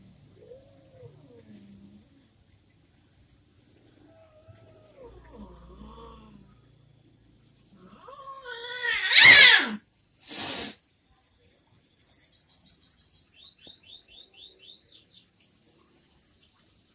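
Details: Orange kitten separated from its mother, with soft faint mews early on, then one loud, strained high cry and a short burst, followed by quieter rapid repeated high chirping notes.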